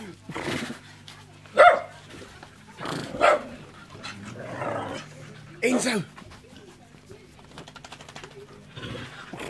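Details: Dogs Enzo and Ozzy at play: a few short, sharp barks spaced one to two seconds apart, mixed in with human talk and quiet background hum.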